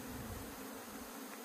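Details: Disturbed honey bee colony being recovered after tumbling down, Puning, Guangdong, China. A thick, continuous humming buzz dominates, with slight low rumbles of handling underneath.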